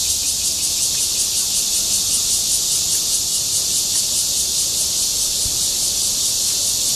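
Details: Courtship song of a red-veined cicada in a Zhongli city park in Taiwan: a steady, piercing high-pitched hiss-like buzz with a faint pulsing texture throughout.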